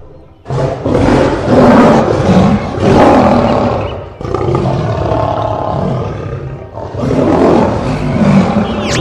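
Lions give deep, rasping roars that swell and fade in long, rumbling bursts.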